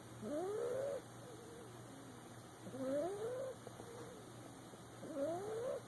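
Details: Asleep in a lap, a boxer puppy makes rhythmic whistled snores, three rising squeaky breaths about every two and a half seconds, with softer exhales between and a low steady hum.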